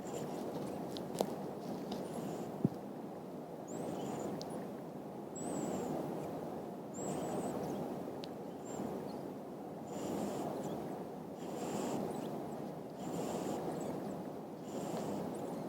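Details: A big sleeping French Lop rabbit snoring: soft, breathy, rhythmic snores roughly every one and a half seconds over a steady low hiss, with a few faint high squeaks.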